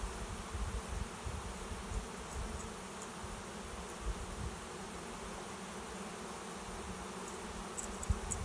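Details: Honey bees from a swarm moving into a new home in a trap set behind a garage; a steady, even low drone of countless wings fills the whole stretch, with faint ticking sounds near the end.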